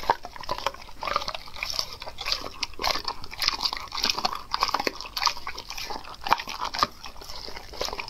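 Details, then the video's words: Dog eating raw food indoors; sharp crunching bites and wet smacking chews repeated rapidly and irregularly, bright and crisp, in a small room. "ASMR Dog Eating Raw foods"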